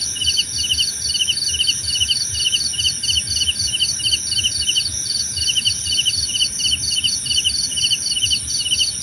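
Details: Relaxing cricket chorus: sharp, trilled chirps repeat at an even pace of about two per second over a sustained high ringing tone, with gentle low rumbling beneath.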